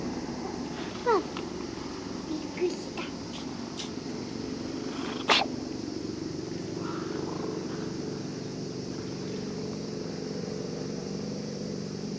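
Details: A cat that had been sleeping at a fishing port purrs while a child who came fishing strokes it; a steady low hum runs throughout, with brief higher chirps and a sharp click near the middle.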